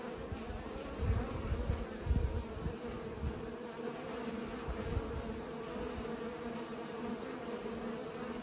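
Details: Pollinating bees make a constant low buzzing drone, louder with a few low rumbles early on, then settling into an even hum.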